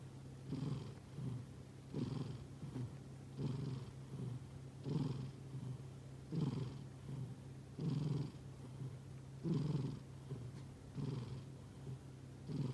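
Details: Cat asleep, snoring gently: a regular train of low, soft breathing pulses at roughly one-and-a-half-second intervals, with a constant faint hum underneath.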